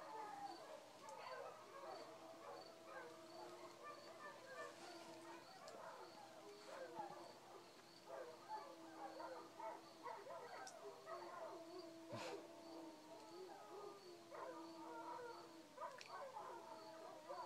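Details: Village dogs howling at night, around 2:30 am, answering coyotes as the chorus dies down; long wavering overlapping howls from many animals, with steady pulsing cricket chirps high above and occasional sharp clicks.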